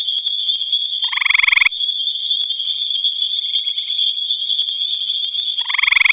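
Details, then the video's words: At night in the Albany Pine Bush, a gray tree frog gives two brief, harsh, pulsing trills about four seconds apart against an unbroken high-pitched whine. "Gray Tree Frog Singing"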